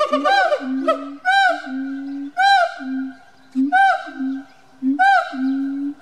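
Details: Siamangs, a pair kept at a small zoo in Bad Pyrmont, Germany, in November 2018, singing very loudly: booming low notes alternating with bursts of rising, wavering whoops, repeated about every second.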